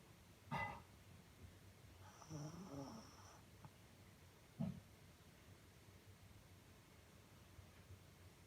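A sleeping Shih Tzu gives low, rough snoring breaths, one drawn-out wheezy rattle followed by short snorts. The sounds come irregularly in an otherwise quiet indoor setting.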